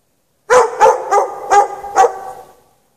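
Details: Dog chained outside in snow at night without shelter, letting out a fast volley of five sharp barks about a quarter second apart, ending in a fading echo.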